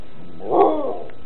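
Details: Siberian Husky named Nika, giving both paws while shaking hands, lets out one short, wavering whine that rises and then fades over about half a second.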